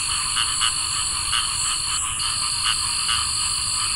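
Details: On a summer night, cricket frogs give a handful of crisp clicking notes at uneven intervals while a steady shrill drone of other night creatures continues beneath them, briefly dipping midway.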